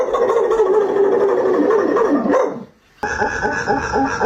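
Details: Dog making weird, drawn-out wavering vocal noises, a continuous warbling howl that rises and falls, cut off abruptly, then resuming after a short silence.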